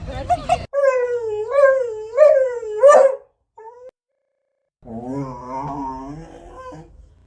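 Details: Beagle. A beagle vocalizes in a wobbling, sing-song whine, each note bending up and down in a chattering rhythm. After a short pause, a lower, steadier drawn-out howl follows.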